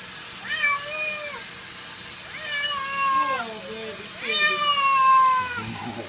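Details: Domestic cat in a funny compilation giving three drawn-out harmonic meows, each about a second long and roughly a second apart, slightly falling in pitch, with faint background noise.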